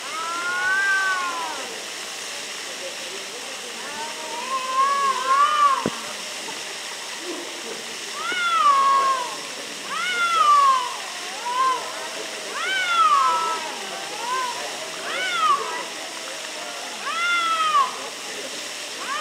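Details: Two cats arguing near Antalya, Turkey, trading drawn-out wavering meows and yowls in bursts every couple of seconds, the rising-falling cries overlapping at times against a steady hiss of background noise.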